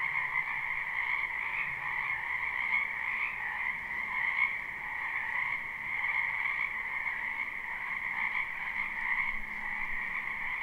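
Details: Live, unlooped recording of croaking frogs in a backyard wetland in spring: a thick, constant chorus of trilled calls with small rises in loudness and faint low rumbling underneath.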